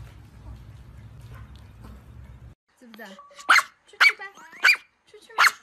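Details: Angry dog barking: four sharp, loud barks about half a second apart in the second half, after a stretch of low background noise and a brief softer sound.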